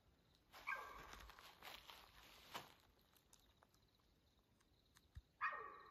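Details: At night on Houston Bros Trail in Arizona's Coconino National Forest, June 7, 2024, around 2:15 a.m., a mountain lion gives two brief, tonal, strained cries about five seconds apart, with rustling and footstep-like noises between them.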